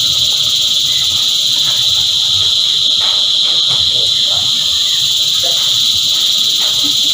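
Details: A cicada choir keeps up an intense high buzzing hiss without a break, while faint low sounds and a few soft clicks sit far beneath it.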